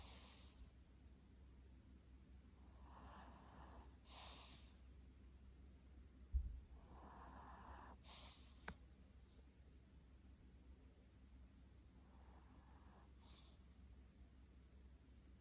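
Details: Pet dog snoring indoors in a quiet small room: soft breathy rasping snores, each a few tenths of a second long, returning at irregular intervals of roughly a second or two over a low steady hum, with one sharp knock partway through.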